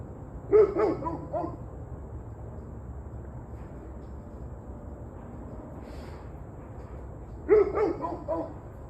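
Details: A dog gives two rapid clusters of four or five quick barks, one at the start and one near the end, separated by several seconds of near silence with faint background noise.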